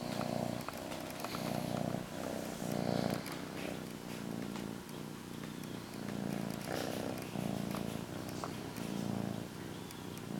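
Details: Domestic cat purring while cuddling her blanket indoors: a low, steady rumble that swells and fades in regular breathing cycles about every second, continuous through the clip.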